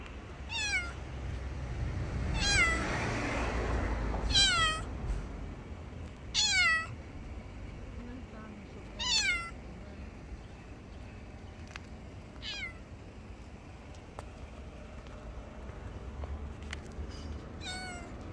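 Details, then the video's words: Grey and white female cat meowing under a bench outdoors, giving short, downward-sweeping meows in an uneven series about every two seconds, with low traffic rumble and faint voices behind. "חתולה אפורה לבנה מייללת מתחת לספסל A grey white cat meowing"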